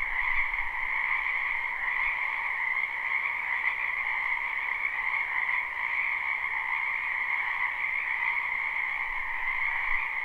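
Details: Steady frog croaking fills a spring wetland behind a residence in this live, unlooped recording; countless overlapping calls merge into a seamless two-toned buzz with a slight low hum.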